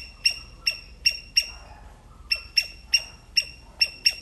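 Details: Sri Lankan palm squirrel calling: sharp, high, chirping notes repeated roughly every 0.4 seconds in two runs separated by a brief pause, each chip bright and clipped against a quiet background.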